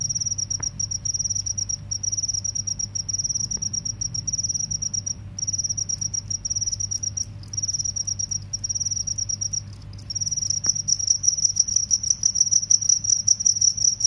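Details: Cricket in a field-versus-forest cricket comparison: a shrill, fast, pulsed trill in repeated long bouts separated by short breaks, growing louder and more intense in the final seconds.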